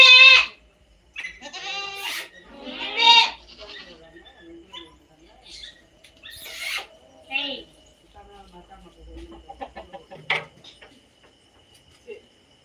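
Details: Native goat bleats in a quick cluster at the start, then a few more at intervals of a few seconds. They are harsh and tremulous with strong overtones, among clicks and faint rustling.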